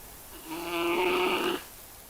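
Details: A dominant male giant panda guarding a female up a tree gives a single drawn-out, rasping, slightly wavering growl lasting about a second at a challenging rival male, which backs away; surroundings otherwise quiet.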